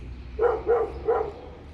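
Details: Dog inside an apartment building barking three times in quick succession, short mid-pitched barks within about a second, heard through a muffled indoor space with low background rumble.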